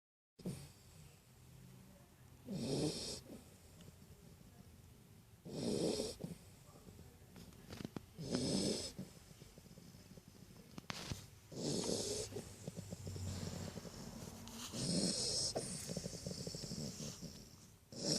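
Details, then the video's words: Great Dane puppy asleep beside its owner, snoring: rhythmic snorting breaths about every three seconds, each a low rumble joined by a hissy wheeze, with quiet rustling between breaths. "my little Great Dane pup , snoring ngorzz"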